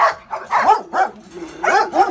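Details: A Pitbull or Rottweiler, said to be the most aggressive Caribbean dog, lets out quick yelping barks with rising and falling tone, five or six in two seconds, some run together into a whine.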